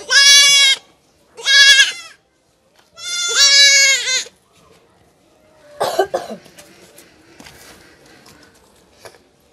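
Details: Goat kid about one month old during castration, giving three loud harmonic bleats in the first four seconds, then handling noises and clatter.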